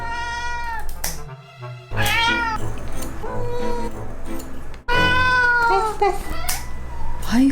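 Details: Domestic cat giving whiny 'kkyang kkyang' meows while the fur on its paws is trimmed: several drawn-out harmonic cries, some rising then falling, with background music playing throughout and a person talking softly between cries.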